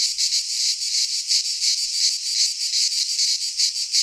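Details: Chorus of cicadas in a pine forest in Greece during midsummer, a harsh, shimmering high-pitched buzz throbbing steadily in rapid regular pulses, steady in loudness throughout.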